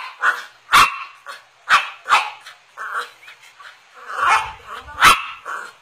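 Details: Chevrolet, a pet cocker spaniel, barking because it wants a Yakult bottle; sharp, bright barks in irregular bursts, the loudest near the start and end, with softer yips and whines between.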